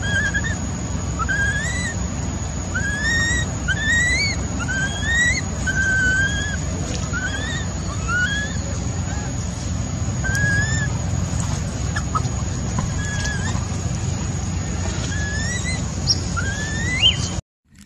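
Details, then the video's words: A baby macaque, abandoned by its mother, cries heartbreakingly in a long run of brief, upward-sliding whistled notes, often in quick clusters, over a constant low hum of outdoor noise. "Poor baby monkey was abandoned by mother monkey, crying heartbreakingly"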